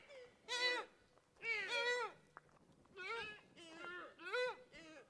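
A deer gives a run of five or six nasal, wavering bleats, each under a second, in quick succession over a quiet background.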